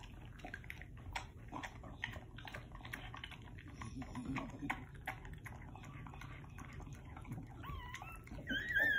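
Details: Pit Bull (Bully) dog giving birth to her first litter indoors; a run of soft wet clicking and licking noises, then a brief high, wavering squeal rising and falling near the end, with faint soft speech in the background.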